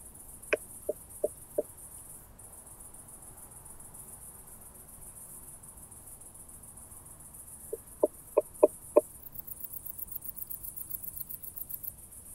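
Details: Southern Oak Bush-cricket at Starnberg, Germany, 7 August 2023, picked up with a Pettersson D 100 ultrasound detector: four short dry ticks, a long pause, then a louder run of five, followed by faint rapid high ticking.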